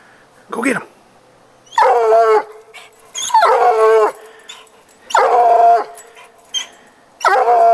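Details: A coonhound bays at a neighbour's cat it has treed, giving long, ringing, wavering cries in close succession, about five within eight seconds, with brief quiet gaps between them.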